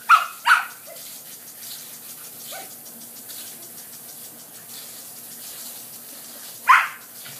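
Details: Border Collie puppies playing in garden sprinklers: two quick high yaps right at the start and a third near the end, over a steady hiss of spraying water.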